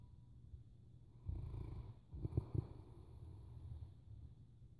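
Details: A sleeping Boerboel dog snoring: low, rumbling breaths, with one longer rasping snore and then a shorter, pulsing snore made of a few throaty bursts, over a steady low hum.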